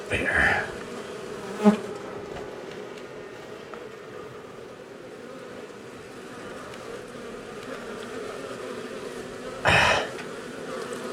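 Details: Honey bees from a long-established colony inside a house wall, angry after dark during day one of a rescue cutout: a steady, dense droning hum with a few sharp knocks and bumps breaking through.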